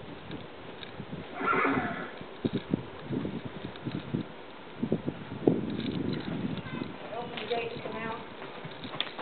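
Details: Registered, smooth-gaited Tennessee Walking Horse used mainly for trail riding gives a short whinny about a second and a half in, followed by clip-clopping hooves and people talking nearby.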